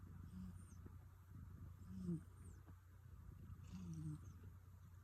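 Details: Rescue cat snoring in its sleep: faint, low, rasping snores with short tonal edges, three of them about two seconds apart over a steady low hum, otherwise quiet room.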